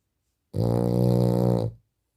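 A French Bulldog snores with one long, low, buzzing rasp that starts abruptly and fades away.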